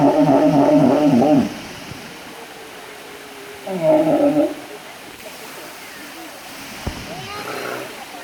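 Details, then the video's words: Walrus uttering two short, harsh, tonal bellows about two and a half seconds apart, each lasting around a second, with a quieter rising whine between them and a fainter call near the end over low background hiss. "Walrus funny Noises"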